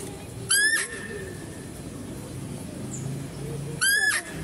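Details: At a zoo, a female deer calls twice about three seconds apart, each a brief, strident, rising cry rich in overtones, while a male deer is fed nearby amid low crowd murmur.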